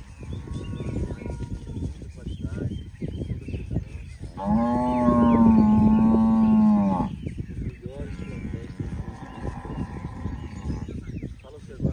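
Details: Half-blood registered Girolando dairy cows: one long, steady moo with a strong harmonic tone lasts about two and a half seconds. A fainter lowing follows, over constant barnyard background noise.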